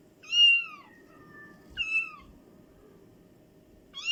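A domestic cat gives high, thin mews that slide downward, repeating every second or two.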